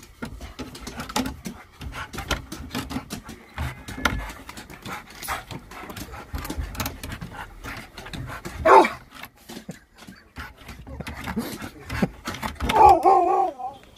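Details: Sherpa, a Husky, in a happy dance: steady rapid panting and snuffling throughout, broken by two short whiny, wavering vocal bursts, a brief one near the nine-second mark and a longer, tremulous one toward the end, with rustling movement.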